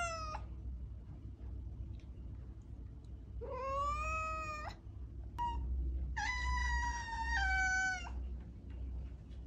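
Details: Domestic cat meowing three times, one sound clipped at the start, then a long rising meow and a longer flat one, harmonically rich and clear above a low droning hum.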